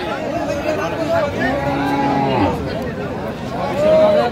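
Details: Improved-breed dairy cattle with calves at Aftabganj market, Dinajpur, Bangladesh, on 19/12/24: a low, drawn-out moo rises and falls over about a second, half-buried under steady crowd chatter and bargaining voices.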